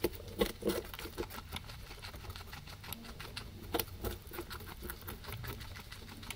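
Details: Two guinea pigs feeding on grass, recorded via a ZYLIA ZM-1 array; quick repeated crunchy bites, roughly two to three per second, irregular, with a few louder snaps over low background hum.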